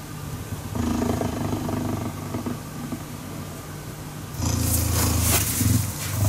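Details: A cheetah purrs as it cuddles: a quieter rumbling stretch, then a louder, coarse purr phase with hissing, breathy noise on top.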